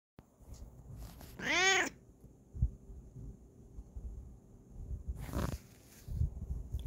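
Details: Bengal cat named Kokoa meowing indoors: one loud, clear harmonic meow rising then falling, about half a second long, followed later by a softer breathy cry and scattered low handling noises.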